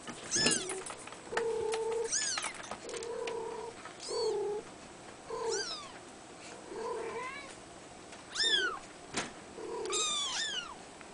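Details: Abyssinian kitten, a blue male three weeks old and born 22 April 2010, crying steadily. It gives piping, arched mews with bright overtones, about nine in eleven seconds, some thinner and some fuller, in a quiet room.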